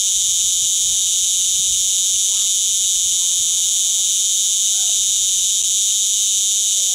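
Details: Shrill, continuous droning of a cicada perched on a holiday villa wall in Portugal, August 2011; the intense high buzz stays constant in pitch and loudness from start to finish.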